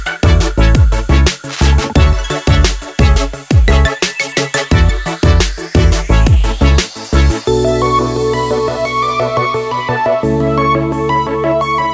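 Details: Energetic electronic music with pounding drums and bass fills the whole stretch, settling into sustained synth chords near the end.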